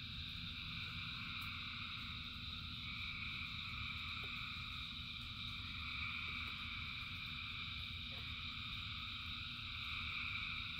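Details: A continuous chorus of many frogs calling in rain: layered, steady trilling in several high bands with no breaks, accompanied by a constant low rushing rumble.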